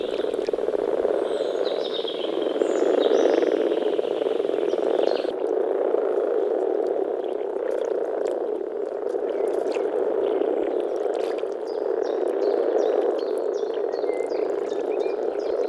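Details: Breeding chorus of European common frogs at a small forest pond in early spring, males producing deep grumbling sounds through vocal sacs; steady rumbling purr throughout, with scattered faint bird notes overhead.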